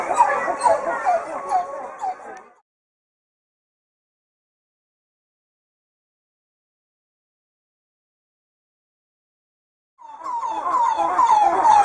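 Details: In the morning, red coppery titi monkeys sing a rich, rhythmic song of rapid, rolling, warbling notes that helps keep the group together; a long silent gap separates two bursts of calling.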